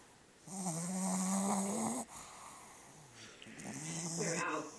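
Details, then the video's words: Loud snoring from Bug, a black Pug–Boston Terrier mix: a droning, buzzy tone held about a second and a half, a short gap, then a second, lower and softer rattling breath. "Black Bug (Pug Boston Terrier) snoring loudly"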